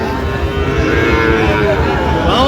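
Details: Sahiwal bull calf at a cattle market in Chattogram, Bangladesh, on 13 November 2025; a sustained, low, steady moo carried through the crowd's chatter and the bargaining voices of buyers and sellers.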